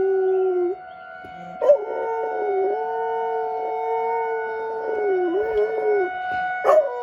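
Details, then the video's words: Dog howling along with a weekly tornado drill siren in Rochester, Minnesota, having gone outside to do so. A single long, sustained, even howl runs for several seconds, ending in a slight waver, over the steady whine of the siren. "Dog howling at Tornado siren drill"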